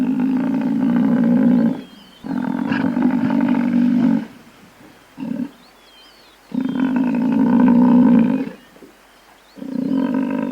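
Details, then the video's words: Series of deep, drawn-out moaning calls from a buffalo: several long bellows of about two seconds each and one short grunt-like note, separated by quiet gaps. Faint high chirps sound in the background. "Buffalo Sound | How Does Buffalo Sound | Real Buffalo Sound"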